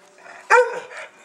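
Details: Dog called Oscar barks once on the command to speak while being trained among puppies, a brief loud harmonic yap fading quickly, with faint background voice before it.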